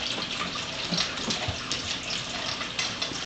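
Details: Continuous rushing, splashing water like a running tap or filling tub, with no animal voice.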